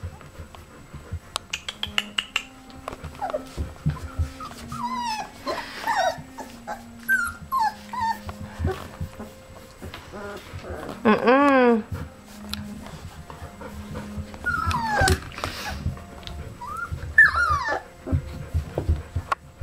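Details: Golden Retriever puppies about 3½ weeks old, playing, give high, squeaky whimpers and short yips over a low steady hum.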